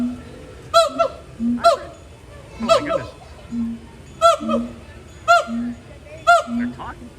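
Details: Captive gibbons calling at Disney's Animal Kingdom during a long, energetic throat-call session with swinging and climbing; loud harmonic whoops alternate with low hooting notes about once a second, with faint music behind.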